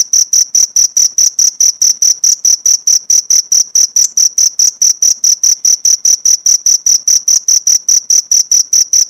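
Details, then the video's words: Cricket recorded as tutor material for training pleci (white-eye) songbirds: a steady, high, thin chirp pulsed about five times per second without pause, each pulse sharp and evenly spaced, no other sounds. "Masteran jangkrik untuk isian burung pleci"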